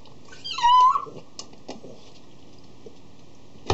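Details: A single short, rising squeaky cry from a 3-year-old male Cavalier King Charles Spaniel named Tigger, part of his routine at his food dish before eating. A dish clatters at the end in a quiet indoor room.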